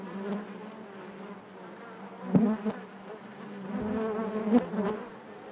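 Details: Honey bees buzzing inside their hive: a dense, steady hum with a low fundamental and stacked overtones, swelling and fading, with brief louder buzzes near the middle and end as individual bees pass close.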